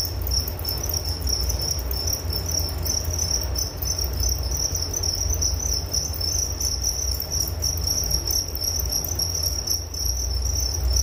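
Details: Unbroken shrill cricket song, a fast pulsing high trill continuing evenly from start to end, layered over a steady low rumble.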